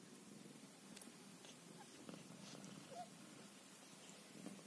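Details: Scottish Fold mother cat tending her kittens, giving a soft, faint purr that hums on steadily beneath light rustles and a few small clicks.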